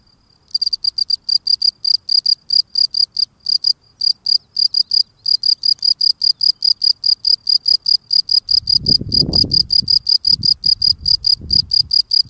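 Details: Singing male field cricket at his burrow entrance, cleaning the steps: a long unbroken run of sharp, high chirps at a brisk even rate, joined near the end by louder low scraping noises.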